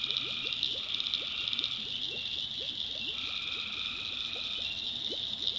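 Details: Night chorus of tree frogs in the backwoods of North Carolina, swamp setting: unbroken shrill trilling high above, sustained lower tones that stop and restart, and a rapid stream of short upward-sweeping chirps.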